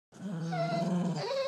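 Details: Bernedoodle whining out of fear of a blind mini-poodle: a single drawn-out, low, moaning tone held steady for about a second, then lifting to a higher pitch at the end.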